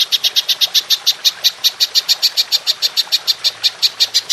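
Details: Belalang emas, the golden grasshopper, calling in the long 'nembak panjang' manner for songbird tutoring: an unbroken run of about twenty-six crisp, high-pitched clicks, roughly six each second, evenly loud from start to finish.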